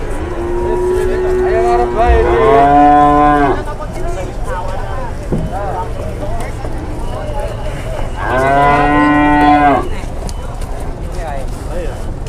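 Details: Large cattle being loaded onto a truck at a market in Indonesia, bound for Purwokerto; two long harmonic moos, the second rising and falling, over crowd murmur and engine hum.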